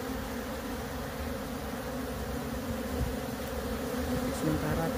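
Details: Wild honey bees from a colony that has split, being moved to a new hive; a dense, steady low hum of many bees fills the whole stretch with light handling noises.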